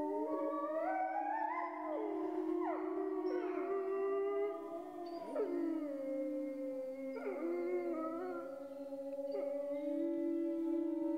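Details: Chorus of grey wolves, many voices overlapping: some hold long steady howls while others rise and fall in wavering, sliding notes, with breaks and fresh starts every few seconds.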